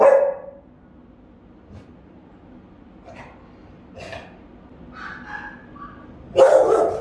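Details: Rottweiler guarding the house, filmed on a camera at home: two loud deep barks, one at the start and one near the end, with quieter bark-like sounds in between.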